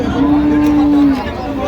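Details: A cow at Ambari haat cattle market, Dinajpur, Bangladesh, 16/1/26, among cows and calves being sold: one steady, flat, sustained moo lasting about a second, over murmuring buyers and sellers.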